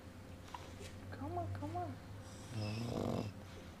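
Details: A sleeping 16-day-old pug puppy, dreaming, gives soft, low whimpering groans, then a rough, rattling snore from its snoring mother.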